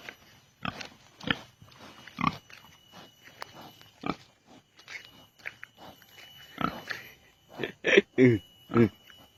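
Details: Wild boar roaming a village, tame and easily caught, coming onto the main road to look for food. Short rough grunts come in separate bursts about once a second, then a louder, denser run of grunts near the end. Faint voices sound in the background.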